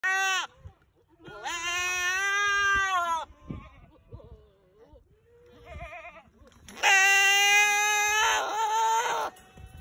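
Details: A pet goat screaming: two long, loud, harmonic bleats with a shaky tremolo, the first near two seconds, the second longer and harsher after several seconds of quiet, with small rustles and short calls between.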